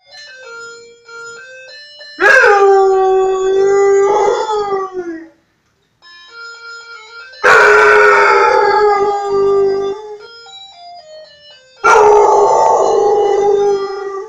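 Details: Pet dog howling along with a doorbell: a soft chiming melody plays, then three loud drawn-out howls that slide downward and end in long sustained notes, with chime tones between them.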